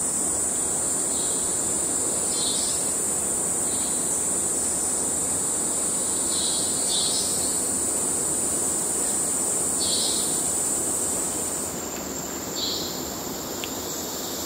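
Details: Male cicadas calling for courtship in Kerala wildlife: an intense steady high-pitched drone throughout, overlaid by irregular short buzzy bursts a little lower in pitch.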